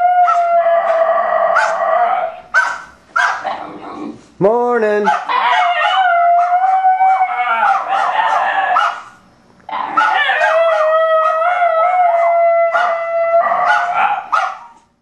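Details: A basenji named Lyla and a Miniature Australian Shepherd named Juice sing and howl indoors. Three wavering howling bouts alternate with short yips and barks, broken by gaps where a human voice joins in.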